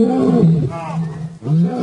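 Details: Lion growling roar amid a territorial confrontation, as intimidating newcomers challenge Simba; a brief deep moan drops into a rumbling growl, then rises again in a second short roar.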